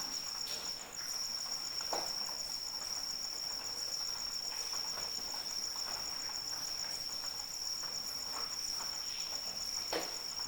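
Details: Crickets in rain give a steady, high, unbroken trill with a faint pulsing overtone above it. Rain patters throughout, with sharper drop-like ticks near two and ten seconds.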